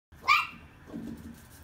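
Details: Irish Terrier pups indoors: one short sharp high yelp near the start, followed by a softer low grumbling sound, then quiet room noise.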